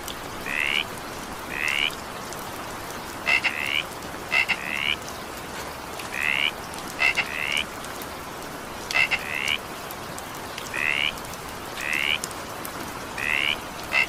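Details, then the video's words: During evening rain, frogs give short rising trilled calls about every second, often led by a pair of quick clicks, repeated steadily over the hiss of rain. "evening rain sound effect with frog sound"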